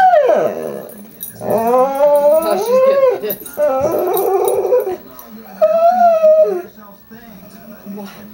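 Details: A female pet dog indoors makes funny sounds: a loud falling whine, then drawn-out rising and bending howl-like tones lasting over a second each, ending in a quieter wavering note. A person speaks softly in the background.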